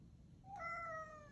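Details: Domestic cat named Odeko meowing affectionately indoors, staying close until the father leaves the house; a single clear tonal meow, rising briefly then held and slowly falling, with quiet room background.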